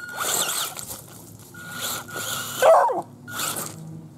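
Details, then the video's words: Dog barking at a radio-controlled 4x4 truck, a sharp loud bark near the middle, amid repeated whirring motor bursts from the truck. "dog barking at RC!"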